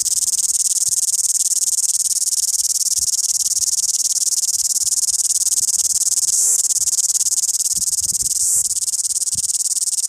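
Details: A cicada in Wellington sings a loud, intense, high hissing buzz that holds steady throughout, with two brief knocks near the end.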